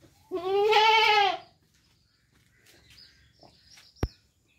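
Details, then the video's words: Goat with a single loud, shaky bleat lasting about a second, followed by quiet rustling and a sharp click. "Cute Goat Sound Video|Beautiful Goat Sound Effect"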